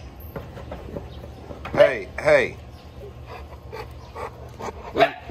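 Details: Boerboel named Sheeba checking on chickens: two deep, loud barks in quick succession, then a third short bark a few seconds later, over a low steady hum with quiet background noise.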